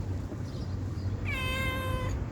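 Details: Begging for food, a stray cat lets out a loud, drawn-out meow starting with a sharp onset and holding an even pitch for about a second, against low background rumble.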